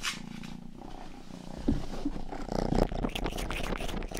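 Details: Rangi, the youngest domestic cat of the household, purrs in a steady low rumble for the first second and a half, then wet licking and grooming clicks crowd in over the purring.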